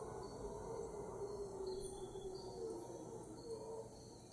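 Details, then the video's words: Howler monkeys, heard but unseen at 5am in Cocles, Costa Rica, roar in a deep, rumbling chorus with insects buzzing high overhead; bats may fly by. "Howler Monkey sounds at 5am."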